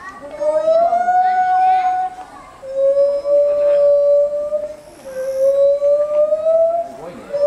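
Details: Gibbons at Asahiyama Zoo, 24 July 2014, filmed 14 m up with a 3D camera: three long, steady, pure hoots, each held for about two seconds and drifting slightly upward, separated by short pauses, with faint voices behind.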